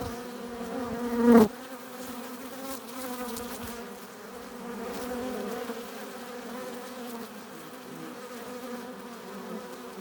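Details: Crowd of honey bees humming at their hive entrance while bringing in pollen and nectar; one bee zooms loudly past early on, then the low layered drone continues evenly.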